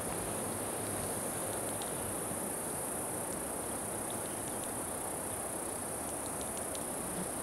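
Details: Chorus of cicadas from a 26 June 2013 recording that includes Putnam's cicada, Okanagana bella and an unknown species sounding like a circular saw. A constant shrill whine holds steady above dense rumbling noise, with a few faint ticks.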